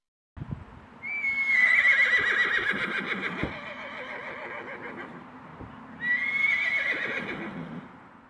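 A horse gives a loud, shrill neigh that starts strong and trembles down, calling to other horses.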